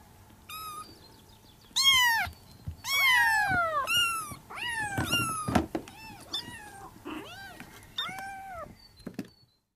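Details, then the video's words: Several Persian kittens calling for their mother indoors, a run of piercing arched meows, some rising then dropping, others short and clipped, coming about once a second with soft thumps between them. "SUARA ANAK KUCING MEMANGGIL INDUKNYA"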